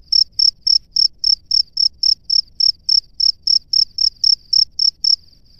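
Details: A male cricket sits in his nest and calls a female with rapid, high-pitched chirps about four per second; the pulses weaken into a softer trill at the very end, with quiet low noise throughout.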